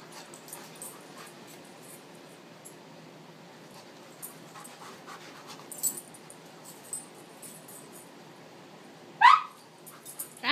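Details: Tamaskan Dog at play: soft scuffling and faint clicks for several seconds, then a sudden sharp yelp that rises in pitch, with a second brief cry right at the end.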